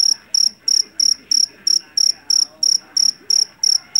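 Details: Javanese black field cricket (jangkrik jeliteng), caught in a rice field, known for its loud shrill voice: sharp, high metallic chirps in steady pulses about three per second, with faint murmuring voices underneath.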